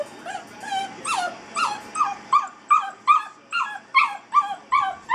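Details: Molly, an eight-week-old Basset Hound puppy shut in a crate for the first time, makes regular, piercing yips that slide sharply downward, about two each second.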